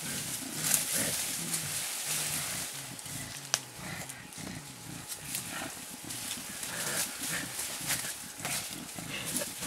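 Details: A blackback male mountain gorilla playing with a young gorilla of about two and a half years, Bukima, Virunga National Park, Congo, April 2007; deep harmonic grunts and huffs in short bursts over a steady hissing forest background.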